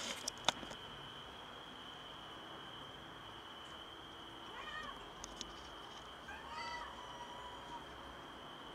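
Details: Stray cat on a balcony after prematurely giving birth to a kitten, meowing strangely; two faint, short harmonic meows a couple of seconds apart over a steady high insect-like hum, with scattered clicks and knocks.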